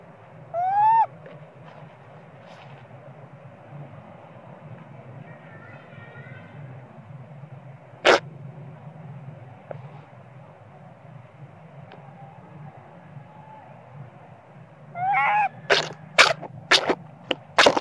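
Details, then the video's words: Young spoiled monkey crying for its mother, Popeye, to nurse it, possibly hungry: one short rising tonal wail near the start, a quiet stretch with a steady low hum, then a rising cry and sharp clicks toward the end. "Small spoil monkey cry & screaming coz he need mom monkey popeye"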